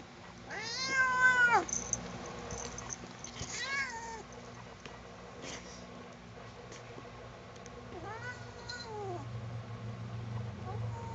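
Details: Domestic cat being combed and disliking it, indoors: a loud, harmonic meow rising then falling near the start, a softer drawn-out wail around four seconds, another descending meow near eight seconds, with a steady low hum underneath.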